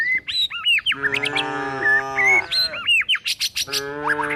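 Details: Tame village cows and calves being herded toward a forest while looking for food, giving drawn-out lowing moos with a rich harmonic tone, about one and a half seconds long, amid frequent high chirping birdsong.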